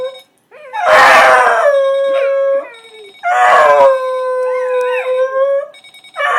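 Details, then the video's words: Charlie, a dog, howls at an alarm clock left on indoors; two long wavering howls with a steady ringing tone held underneath, a second dog, Porter the Scottish wiener, possibly joining, and a third howl starting at the end. "Charlie vs The Alarm Clock"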